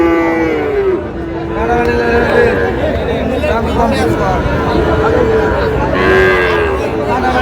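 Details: Sahiwal bull calves penned at a crowded cattle market, 20 August, with Tangail buyers: repeated lowing moos, several calves calling in turn, are mixed with constant human chatter and haggling.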